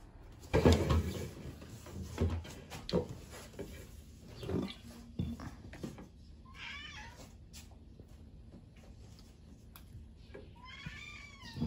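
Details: Pet cat at home while a child is busy with pancakes: thumps and handling noises at first, then two drawn-out, wavering meows, the second longer and more insistent, over a low indoor hum.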